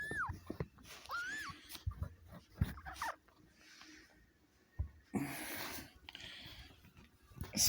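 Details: Kitten being born to Kitty, a four-year-old female domestic cat, indoors, with help during the birth; recorded on a phone. Two short, high, arched mewing cries come in the first second and a half, followed by rustling, handling noises and low breathing.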